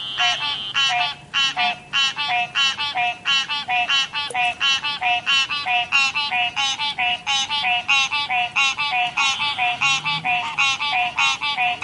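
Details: Frogs croaking at a river: a dense chorus of nasal, harmonic-rich pulsed calls repeated roughly three times a second, several callers overlapping steadily throughout with no other clear sounds.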